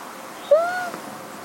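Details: Chiko, a one-year-old female cat and former stray rescued at two months old, calls out while hiding during hide-and-seek because she wants to be found. She gives one brief tonal mew that rises, then levels off.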